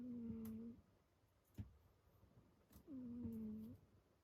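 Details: Pet cat snoring in its sleep: two long, steady whistled snore tones a few seconds apart, each bending down then level, with small rustling clicks between them.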